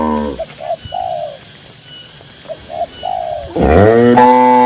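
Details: Doves coo in short paired phrases across a quiet green rural field before a tame grazing cow breaks in with a loud, rough moo near the end; another moo tails off at the start.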